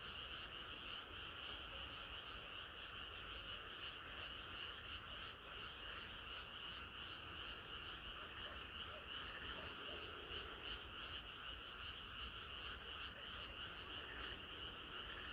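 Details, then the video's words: Many frogs singing together on a hot summer night, a dense, unbroken chorus of croaks blending into a steady hum with faint rhythmic pulsing and low background noise. "개구리들의 합창은 끝이 없어라#개구리소리"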